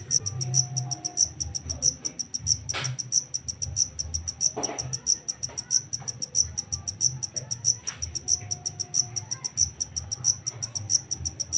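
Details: Wild-caught black cricket giving steady high-pitched chirps, clustered pulses repeated about every third of a second, over a low rumbling background hum with a few faint clicks.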